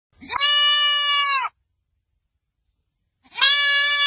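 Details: Goat. A kid goat bleats twice, with a long pause between the calls. Each bleat is a bright, wavering, nasal cry held for about a second, the young animal calling out for its mother.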